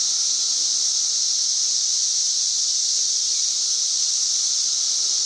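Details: Cicadas up in the trees sing in a loud, continuous high-pitched buzz reaching about 90 decibels, holding steady without a break, recorded May 31, 2024.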